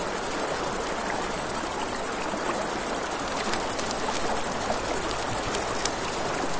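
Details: A nighttime riverside chorus of crickets forms an unbroken high-pitched pulsing trill over the wash of a flowing river and scattered sharp crackles from a campfire.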